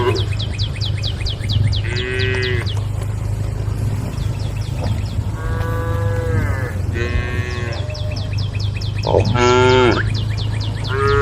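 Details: Cows gathered on a road beside a forest call out to their herd mates with repeated bellowing moos, some short and some long and wavering, over a constant low drone and pulsing insect chirps.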